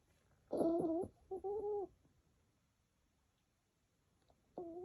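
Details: Mimi the dog snoring: three thin, whistle-like nasal tones, each about half a second long, the first two close together and the last after a long quiet pause, in a quiet room.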